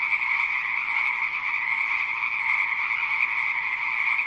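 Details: Unbroken frog chorus, a mid-high grating buzz that stays even in pitch and loudness throughout, many callers blending into one sustained wall of sound.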